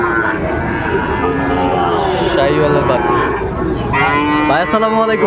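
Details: Sahiwal cattle at a crowded cattle market in Bangladesh, 13 February 2025, where a Kushtia farmer buys a bull calf; loud sustained lowing moos, one rising and falling near the end, over background crowd murmur.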